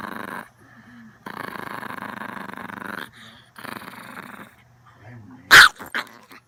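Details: Long-haired Chihuahua, a female born in 2010, recorded at home: a low, rasping growl held for about two seconds, a pause, then a shorter rumbling growl, ending with one sharp, loud yelp and a softer yip.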